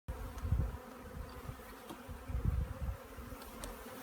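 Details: Honey bee swarm being collected, a dense droning buzz with a steady hum band and low thumps and bumps from handling, rising briefly around the middle.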